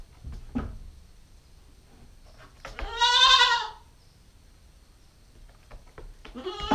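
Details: A nine-week-old female Nubian goat kid on a GoPro gives a loud, quavering bleat of about a second mid-clip, with soft clicks and shuffling around it and the start of another bleat at the end.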